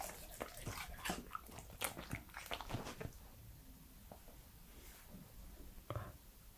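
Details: Three-year-old male Pembroke Welsh Corgi eating indoors, recorded close up for ASMR: a dense run of crisp, wet chewing clicks and smacks in the first three seconds, then sparser, softer mouth noises and a final smack.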